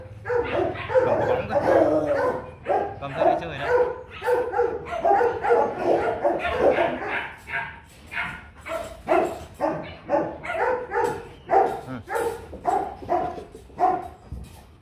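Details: Rottweiler barking continuously, short harmonic barks tumbling out close together for about fifteen seconds, the rhythm loose and irregular; a person speaks briefly near the start.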